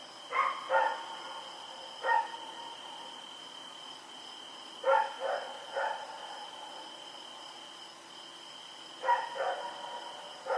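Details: Rex, a dog running around at night, recorded October 7, 2018: short harmonic barks in pairs and triplets every few seconds, with quiet gaps between, over a steady high-pitched whine in the background.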